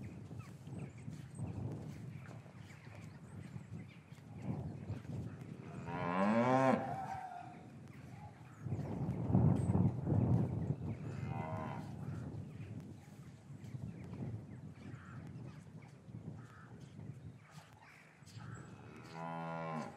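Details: Lowing in an English cattle yard on a winter afternoon after the calves were taken from their mothers, recorded with a matched pair of Rode M5s. Several moos: a strong one early, a deep rumbling low around mid-clip, another at the close, with shuffling yard noise.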